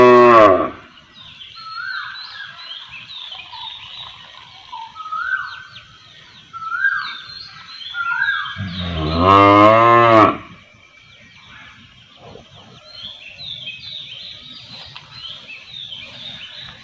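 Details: Village cow moos twice: a brief low call at the start, then a louder, wavering moo of about two seconds midway. Small birds chirp and trill throughout the quieter stretches.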